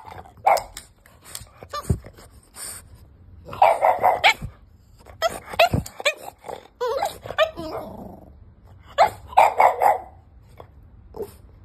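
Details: Five-month-old French Bulldog puppy demanding to get into the bed, giving sharp, high yappy barks in bursts, mixed with grumbling growls and whiny whimpers, with short quiet pauses between outbursts.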